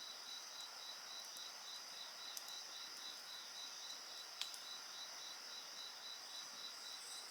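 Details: Beside a crackling bonfire, insects keep up a dense high-pitched chorus, one repeating a fast, regular pulsed trill, while occasional sharp pops from the burning wood break through.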